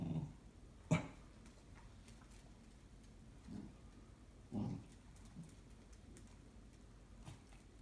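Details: A Cocker Spaniel suspicious of an IKEA parcel gives a sharp single bark followed by low, muffled growling bursts.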